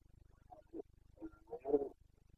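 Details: Carpathian red deer stag during the breeding season in Bucovina, Romania, 29 September 2022: a few short, low grunts building into a louder, rough bellow, with a faint steady hum behind.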